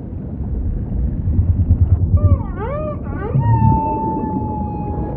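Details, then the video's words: Humpback whale singing against deep underwater rumble: a string of quick looping upsweeps and down-bends, followed by a long flat whistled tone that holds steady to the end. "Majestic Whale Song · beautiful humpback"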